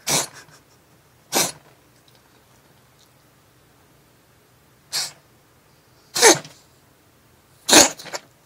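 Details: Repeated sneezing from Hatch, a female black-and-white hachiware house cat, after she sniffed her owner's fingers while seeking affection; five sharp, breathy explosive bursts come at irregular gaps of one to three and a half seconds against near silence.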